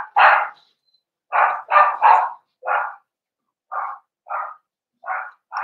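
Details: Cavalier King Charles Spaniel puppies and the breeder's older dogs together in an indoor pen, December 2022. Steady series of about ten short barks, the first ones loud and clustered, later ones softer and spaced nearly a second apart.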